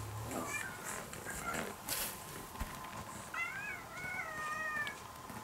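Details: During an indoor test playing recorded cat voices to a once-stray kitten now nearly tamed, one long, wavering meow rises and sustains late in the moment, preceded by fainter mews over hissy background noise.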